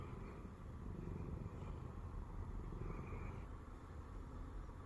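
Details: A Siamese cat, a former stray, purrs steadily while lying on a person's belly, a low, rumbling, rapidly pulsing drone held throughout.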